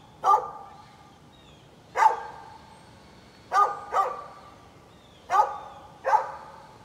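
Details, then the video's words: Barking from a neighbor's dog, recorded 11-13-2020: six loud single barks at uneven intervals, sometimes in pairs, over a quiet background. "Neighbor's barking dog"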